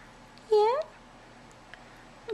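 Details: Tiny kitten, the shy sister among her brothers, coaxed out at feeding time in a nursery; a single short upward-sliding mew, with a woman speaking softly close by.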